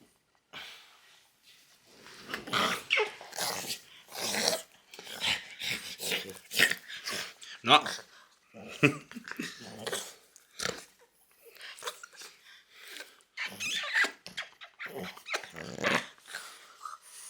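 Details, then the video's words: French Bulldog named Loki making odd vocal noises: a run of short rasping grunts, snorts and growl-like bursts in uneven clusters, some with a whiny tonal edge, broken by brief pauses; a human voice may be mixed in. "French Bulldog Makes Weirdest Noises You've Ever Heard!"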